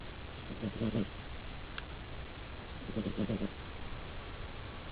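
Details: Sleeping domestic cat snoring: two low, buzzy, rattling breath sounds about two and a half seconds apart, each a short pulsed burst, with quiet room hiss between them.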